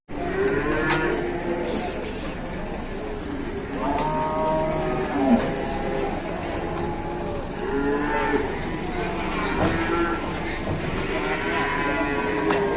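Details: Several cattle on an overloaded truck low in turn, giving repeated overlapping moos, some bending downward, over a steady vehicle rumble with occasional knocks.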